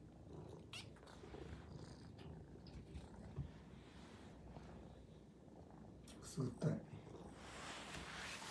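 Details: A Maine Coon cat greeting its owner, who has just arrived home, purrs steadily and low and adds a couple of short chirps.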